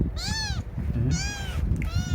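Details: Pet cat uttering three drawn-out, arched meows in quick succession, strongly harmonic, over a constant low rumble and muffled voices.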